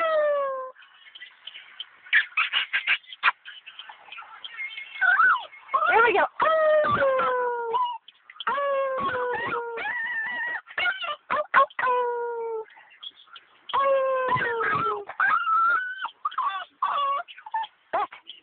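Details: A 5-month-old male American Pit Bull Terrier puppy howls in wavering, drawn-out tones that slide up and down like singing.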